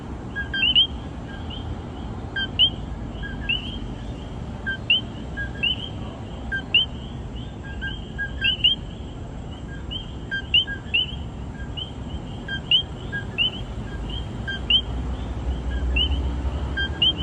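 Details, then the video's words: Several common coquí frogs in San Juan, Puerto Rico, call over and over, each giving a sharp two-note 'co-QUI' that jumps up in pitch. "The sound of Coqui in San Juan Puerto Rico."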